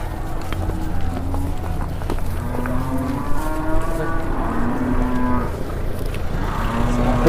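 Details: Cattle brought to market for the first time, startled and raging; low drawn-out lowing tones with faint harmonics, some bending upward, amid crowd chatter and market noise.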